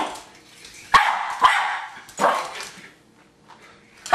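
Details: Jack Russell Terrier Hali, a family dog, lunging at a remote-controlled car: three loud barks close together, then a quieter pause before one more starts at the end.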